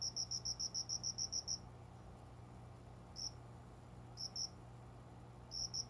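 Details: Unseen cricket calling around 5 a.m. at dawn from plants beside a window in a room, summer; a rapid train of about eleven bright high pulses, then a pause and scattered short chirps and pairs, with a faint low hum.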